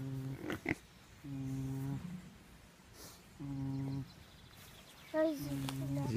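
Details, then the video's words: A pig snoring: four drawn-out, buzzy, tonal snores, each under a second long and coming roughly every one and a half seconds, with soft clicks and faint Portuguese speech between them. "Pig snoring"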